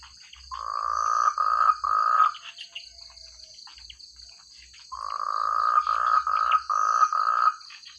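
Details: Rice-field frogs in a rural paddy area calling together, each voice distinct: bursts of several rough buzzy croaks, a pause of about two seconds, then another fast run of croaks, over a steady high insect hum.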